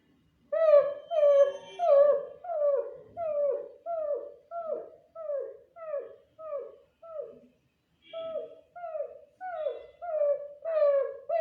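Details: Adopted stray female puppy whining in answer to a person's whining noise: a steady run of about sixteen short, nasal whines, each bending downward, repeated roughly every two-thirds of a second, with one brief pause midway. Nothing else audible.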